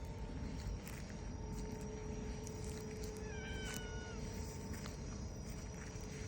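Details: A hachiware (black-and-white bicolour) community cat meows while leading a person who follows its calls: one clear meow of about a second, falling slightly and then levelling, over a steady low outdoor rumble and a faint high insect-like tone.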